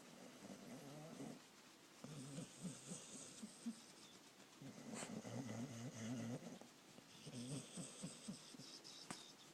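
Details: Sleeping dog snoring in steady cycles, four low, rumbling, buzzy snores roughly every two seconds with quieter breaths in between, recorded close in a quiet room.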